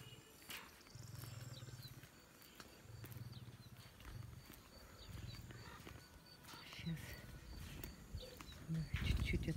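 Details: Two male lions and a lioness on a hillside at Taigan Safari Park in Crimea at sunset. Deep, low rumbling moans come in sustained bursts of about a second each, repeated several times, with people talking nearby.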